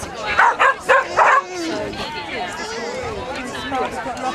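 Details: Barking by Bodi, a Small Munsterlander competing on Day 2 of the KCI Agility Festival 2010: a quick burst of four clipped barks in the first second and a half, then crowd chatter and talking carry on.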